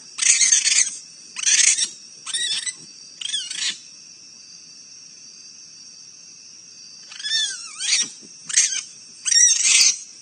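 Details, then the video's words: Fighting raccoons on a live animal cam in Akron, Ohio: loud raspy screams and snarling shrieks in short bursts, four quick ones, a quiet pause of several seconds, then another rapid flurry of harsh squeals. "What a Raccoon Fight Sounds Like"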